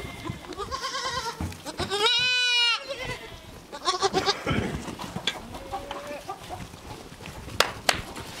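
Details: A baby goat in a playground gives a long, strongly vibrato bleat lasting nearly a second, framed by shorter wavering bleats from other goats and scattered clatter and knocks toward the end.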